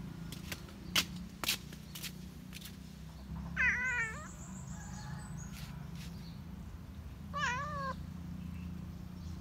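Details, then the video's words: Cat in the countryside gives two short, wavering meows several seconds apart over a steady low hum, with a few sharp clicks early on. "Meow meow, cat at countryside"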